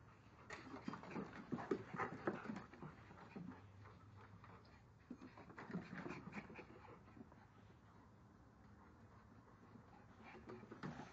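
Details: Two dogs, a bigger male and a smaller female, playing chase; bursts of rapid, breathy panting and soft whimpering with scuffling movement, quieter stretches between, and a person's voice nearby.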